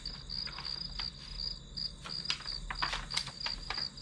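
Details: Grass insects calling as white noise behind a one-hour study session: high, clear chirps repeated about three times a second, mixed with many sharp clicks and taps and a low steady hum.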